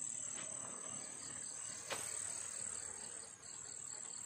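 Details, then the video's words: Night chorus of crickets in a field at Turi, Sleman, recorded during the pandemic: a continuous piercing high trill, overlaid by faint rapid pulsed chirps, with a brief thump near the middle. "JANGKERIKPUN TETAP BERNYANYI WALAUPUN MASA PANDEMI!!!!"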